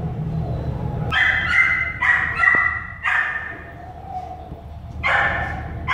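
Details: American Staffordshire Terrier puppies born at an animal shelter give sharp, high yipping barks in short bursts with pauses between them, over a faint low hum in the background.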